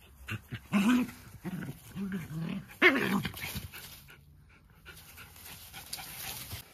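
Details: Two Jack Russell Terriers in a friendly fight. Gruff, throaty growls come in the first half, with a sharp rough snarl about a third of the way in, then quieter scuffling.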